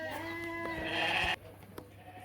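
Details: Ewes and rams at a livestock market: one steady, drawn-out harmonic bleat lasting about a second, which then breaks off abruptly into quiet background noise.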